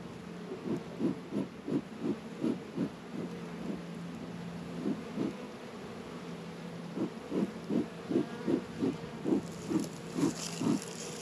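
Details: Winter-warm February afternoon at 72 degrees in northern Kentucky; honey bees busy around Warre and Langstroth hives give a low buzz in rhythmic bursts, a steady flight drone between, with a brief hiss near the end.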